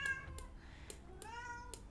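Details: Domestic cat meowing in the background indoors while its owner records: two faint, drawn-out meows, the second gently falling, with soft clicks and low room hum.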